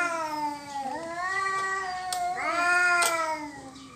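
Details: Domestic cats fighting over territory, a dispute that ends peacefully: long drawn-out wailing yowls with rich harmonics, one sustained howl sliding down, then a louder rising-and-falling wail near the end, with a few sharp clicks.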